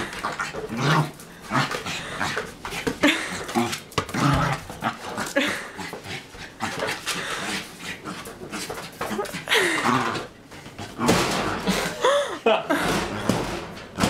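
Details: Rexie the dog wrestling his arch-nemesis, a basketball, inside a small room; throaty growls mixed with heavy panting and scuffling, a short whine near the end, and a person speaking now and then.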